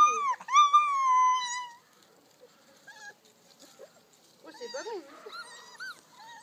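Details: Malinois puppies aged four weeks, from a litter of eight born 9 October 2014: one long, high, slightly falling whine lasting over a second, followed by faint, scattered squeaks and whimpers.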